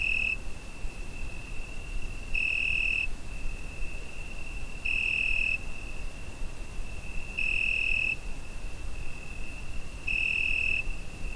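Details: Cricket calling through a summer night, Zoom H5 recording: an unbroken high tone punctuated by five louder ringing bursts spaced about 2.5 seconds apart, low background hiss throughout.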